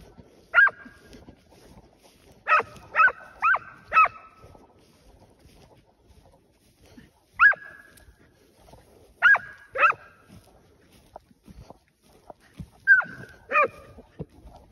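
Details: Scent hounds used to flush wild boar on a hunt bark in short clusters, three or four quick barks then a pause, repeated over the passage in a quiet outdoor setting.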